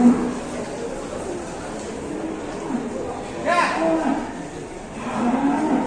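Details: Ploughing cow in Indonesia acting up during work, giving a short, harsh, harmonic-rich moo midway and another near the end, over steady crowd noise and background chatter.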